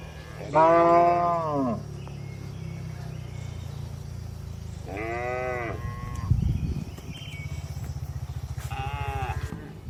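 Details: Gentle cattle in a spacious livestock barn, three separate harmonic moos spaced a few seconds apart, each about a second long and bending downward, with a constant low machinery hum and a clatter between calls.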